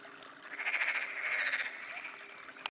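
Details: One black-spotted pond frog in an irrigation canal, clear morning in June 2009; a single loud, harsh, rapidly pulsed croak about two seconds long, ending in a sharp click.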